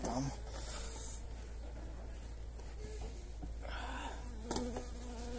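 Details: Honey bees at feeding time with energy cakes on 29 January in very pleasant weather: a low, steady droning hum runs throughout with faint buzzy overtones, over a constant deep rumble and a few brief handling knocks.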